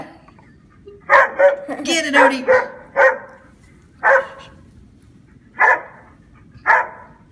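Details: Dogs attacking a giant grasshopper, a person laughing loudly at first, then single sharp barks spaced about a second apart, irregular and forceful.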